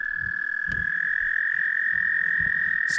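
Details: About 30 toads mating in the water during a spring wilderness trip among lakes; a continuous, steady high trill from the chorus runs unbroken through the clip, over soft low thumps and splashing sounds.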